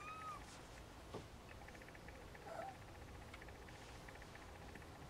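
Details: Siamese snowshoe kittens: a short, thin, high meow right at the start, then a fainter, lower mew about halfway through, over a steady background hiss with faint clicking.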